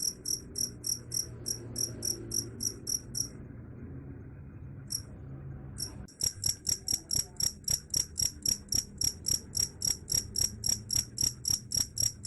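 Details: Cricket song of quick high chirps that stops for nearly three seconds, gives a couple of isolated chirps, then resumes louder and faster, over a soft low hum.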